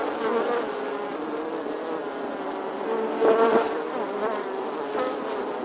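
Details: Bee buzzing on a summer day: steady humming drone with a short louder, higher surge midway, as if the insect passes nearer, then settling back to an even buzz.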